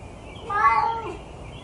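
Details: A stray cat at 6am gives one sad meow, a drawn-out harmonic cry that swells and then falls away over about half a second, against a low, steady background hum.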